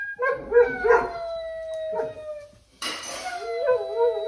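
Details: Basset hounds howl at home on a weekend. Long mournful tones, some wavering and some sliding slowly downward, are split by a brief hush before a harsher burst and a renewed quavering howl.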